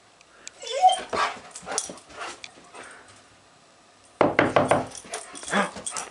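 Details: Excited pet dog barking and yelping as its owner comes home, a few sharp high barks and whines early, then a burst of rapid loud barks, with a person talking to it.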